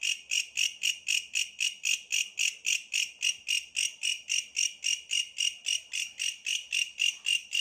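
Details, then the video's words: Steady bush cricket song: loud, metallic-sounding buzzy pulses repeated nearly four times a second, very regular, with little else audible. "suara asli bellalang pohon"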